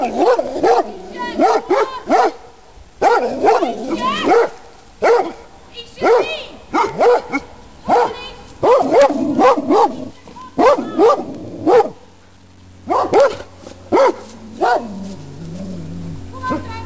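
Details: Uncontrolled Rhodesian Ridgebacks in a private garden bark steadily in overlapping clusters, resonant and yelping, for most of the stretch, easing briefly near the end before a final flurry, over a low steady hum.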